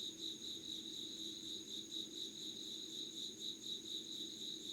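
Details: Insect voices in Yugawara, Kanagawa, Japan, at 5:00 on 25 August 2019: an unbroken, shrill, pulsing trill at two high pitches, with a gently throbbing rhythm over a quiet low background hum.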